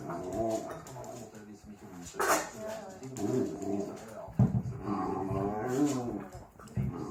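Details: Domestic dog grumbling and moaning as he plays, with drawn-out wavering whines and groans, one loud sharp burst, and steady talking from a woman on the phone plus a radio underneath.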